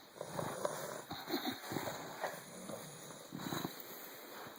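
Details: Puppy Bulldog snoring while asleep: soft, rough breathy rasps in uneven bursts, some short snorty pulses, over a steady faint background hiss.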